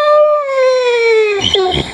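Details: Toots, a female Neapolitan Mastiff, begs for an emptied peanut butter jar indoors in January 2015. She gives one long, high, tonal whine that slides slowly downward, then breaks off into a brief rougher, fluttering cry.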